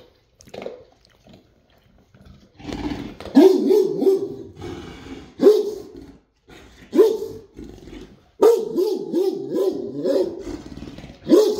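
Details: Great Dane barking indoors: loud, deep barks, some in quick doubled bursts, separated by short pauses, with a few brief quiet sounds in between.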